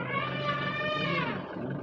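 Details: Wild elephant during an attack on a safari jeep at Muthanga, Wayanad Wildlife Sanctuary: a loud, harsh, brassy trumpet held steadily for almost two seconds, rich in stacked overtones, with no other clear sounds.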